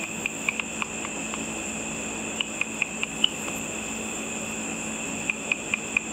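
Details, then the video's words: Bats hunting insects over a lit pool after dark, their ultrasonic calls brought down by a simple frequency divider bat detector: scattered sharp ticks in short irregular runs over a steady high electronic whine and low hum. "A video of bats with audio of the bat calls."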